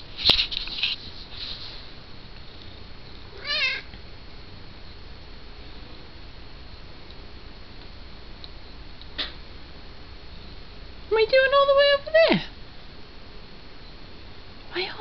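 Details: Domestic cat indoors, meowing at its owner while the owner meows back. A short wavering meow, then after a pause a cluster of clear, harmonic meows, rising then falling, over quiet room hum, with a few clicks.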